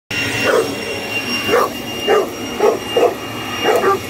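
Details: Boerboel dog barking while attacking a hoover: short mid-pitched barks, about six in four seconds, over a steady whining vacuum cleaner drone with high tonal hum.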